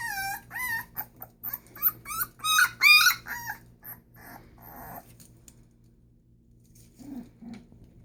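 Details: Presa Canario puppies, born 25 October 2019, kept in Ecuador. A rapid run of loud, high whimpers and yelps for about five seconds, rising and falling in pitch, then near quiet with one soft low grumble toward the end.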